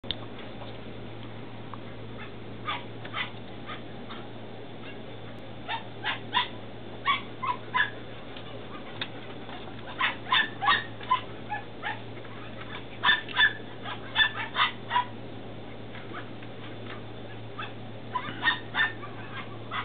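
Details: Belgian Malinois puppies, 10 weeks old, in Williston, Florida, on 28 April 2015, giving scattered high yips and squeals that cluster in bursts, over a steady hiss and low hum.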